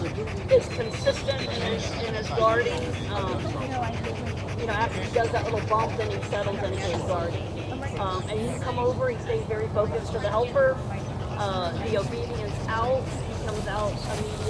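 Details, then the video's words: Rottweiler Jefe von Tonatiuh during an IGP3 protection routine at a qualifying trial for the 2021 DVG America National Championships. It gives a long series of tonal, arching yelps and whines mixed with barks, with voices and steady background rumble. "Rottweiler DVG America IGP CH qualifying trial - protection IGP3"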